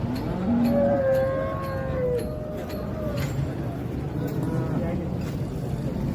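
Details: Holstein Friesian cow at a dairy farm selling cattle near Ghodegaon, Shani Shingnapur, India; a clear moo of almost two seconds starting low then jumping higher and sliding down, with farm background noise.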